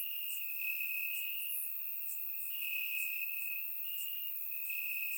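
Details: Night chorus of crickets in Bulgarian grass on a warm summer evening, a continuous high-pitched trill broken into long segments by brief gaps, with soft scattered higher chirps layered above.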